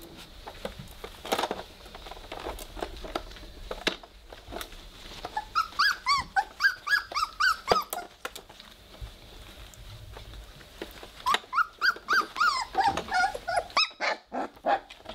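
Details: Three-week-old Weimaraner puppies playing together indoors and just starting to growl: bursts of rapid, squeaky, arched yelps and whines, one run midway and another near the end, with scuffling and soft knocks between them.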